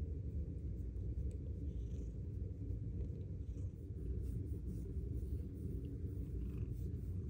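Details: A Bengal cat purrs in a steady, deep, continuous rumble while snuggled in a closet on very cold days.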